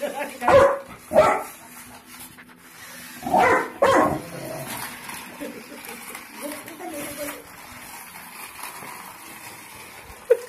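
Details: Labrador Retriever barking in two pairs of sharp, loud barks in the first four seconds, followed by softer low sounds and quiet.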